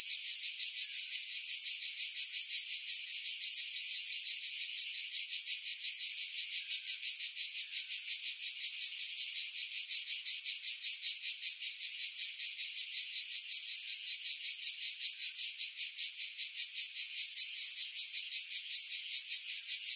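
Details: A steady, shrill buzzing chorus of cicadas in coastal pines at Pefkos Bay, Skiros, Greece, in July 2018, throbbing in rapid regular pulses; low frequencies filtered to remove wind buffeting, Sony RX3 with external microphone.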